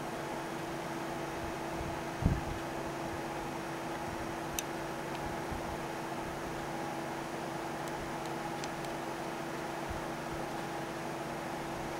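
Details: A steady fan-like indoor hum with a low tone, broken only by a soft thump and a few faint clicks. No animal calls.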